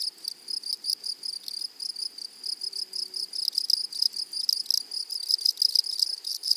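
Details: Loud, close grasshopper stridulation in a flowering meadow: rapid high buzzy pulses in tight bursts, growing slightly stronger toward the end, with a faint low steady tone briefly underneath.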